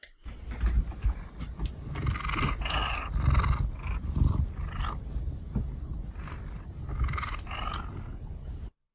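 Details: A nervous domestic cat purrs with its mouth slightly open while scent marking by rubbing its cheek against a lamp and licking its lips, a steady low rumble that sounds louder and breathier.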